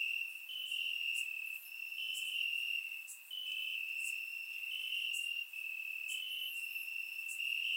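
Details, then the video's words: Night chorus of crickets chirping in grass on a warm summer night, Bulgaria, surround microphone recording; a constant high-pitched ringing trill from many insects, pulsing louder and softer, with sparse higher chirps scattered through. "Cricket Sounds - Crickets Chirping at Night"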